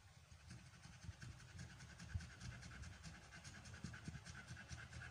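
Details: Amber, an American Bully in her first pregnancy, in labour on day 56, pants in fast, steady, breathy bursts over a low rumbling background hum.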